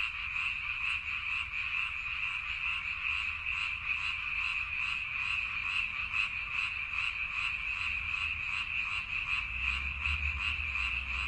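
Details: Frogs croaking in a dense, continuous chorus of many callers, with rapid high-pitched pulsed croaks overlapping without pause over a faint low rumble.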